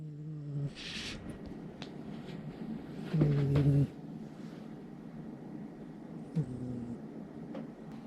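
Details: Maria, a Somali cat, snores loudly while sound asleep in the middle of the night; two low droning snore tones, a short one at the start and a louder, rougher one about three seconds later, over a soft steady hiss.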